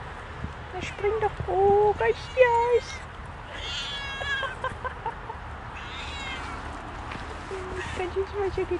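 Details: Off-leash Siamese cats Otani and Yozora chatter together on a rainy forest walk after a creek jump, trading loud, wavering, drawn-out meows, then softer higher mews, while a person speaks German nearby.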